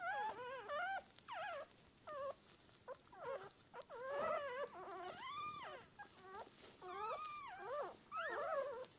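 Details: Three Shiba Inu puppies, about three hours old, deaf and blind, call for their mother with thin, wavering squeaks and whimpers that overlap in quick bursts.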